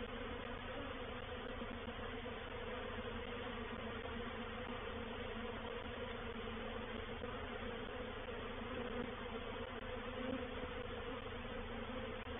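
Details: Honey bees of a reproductive swarm entering a bait hive at Painted Peacock Manor on 04/07/21, making a dense, continuous buzzing drone that holds level throughout, with faint ticking knocks above it.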